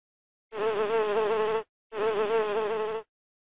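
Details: Bee buzzing: two steady, humming buzzes, each about a second long, separated by a brief pause, with a slight wavering pitch and clean silence around them.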